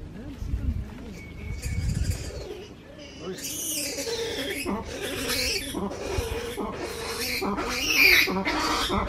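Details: Male black-and-white ruffed lemur at hotel cabins on Ile aux Nattes, Madagascar, given a banana. After a quiet start with low murmurs, harsh raucous braying bursts begin and repeat in a loud, rough chorus until the end.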